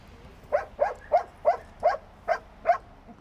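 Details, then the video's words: Trained search and rescue dog, Belgian or German Shepherd, searching rubble near Vesuvius, Naples, barking to signal a buried person; seven sharp, evenly spaced barks about every 0.35 seconds, with faint low background rumble. "Lătratul lor este un indiciu că există un om acolo jos, undeva."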